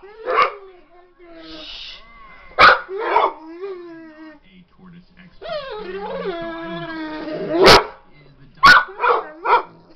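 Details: Pit bull at home barking at a dog shown on TV: widely spaced sharp barks, a drawn-out wavering whine-like tone in the middle, then a closing run of three quick barks, with a person talking in the background.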